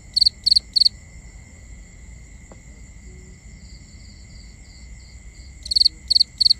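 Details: Binaural night recording of crickets: three sharp pulsed chirps, a quiet spell with distant chirping and a faint click, then three more loud chirps at the same quick rhythm.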